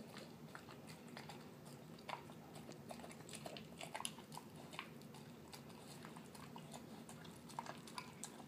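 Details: Pet terrier mix dog, a male, chewing canned food mixed with kibble at dinner; crisp biting crunches and wet smacks repeat rapidly and unevenly throughout, over a quiet low hum.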